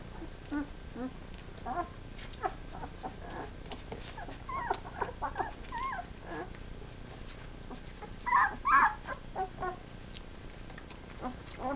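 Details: Newborn puppies, seven days old, suckling at their mother; repeated short high whines and squeals, some bending upward or wavering, coming in irregular clusters, with a louder pair of squeals near the end over a soft hum.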